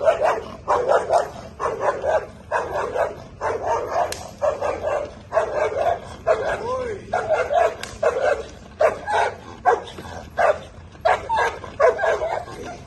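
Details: Bull Terrier barking steadily during table work training, with short punchy barks roughly every half second for the whole stretch and a handler's voice praising it between some of the barks.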